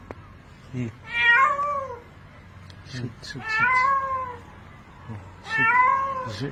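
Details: Drowning cat crying for help before being pulled out by rope: three long, wavering meows sliding downward, with short knocks and men's voices shouting between the cries.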